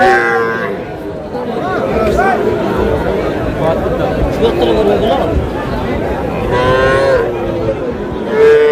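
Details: Young cattle, small bull calves and heifer calves, at a cattle market in Madaripur, Bangladesh; several drawn-out lowing moos with clear harmonic bands, near the start, middle and end, over steady crowd chatter and bargaining voices.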